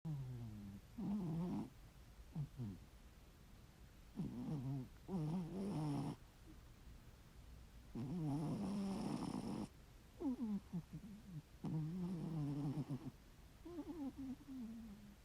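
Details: Ginger tabby domestic cat asleep and snoring heavily: irregular rasping snores about a second long, some with falling tonal wheezes and one longer, harsher broadband snore near the middle, separated by quiet pauses in a small room.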